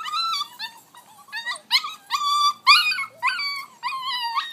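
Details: Vizsla puppy Rascal, six weeks old, climbs its X pen while whimpering steadily: a run of high, bending whines about one to two per second, some sliding upward, loud and close.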